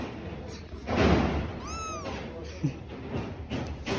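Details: A single high kitten meow rises and falls in a smooth arch lasting under half a second, from kittens living with their mother; a dull thump and low rumbling precede it.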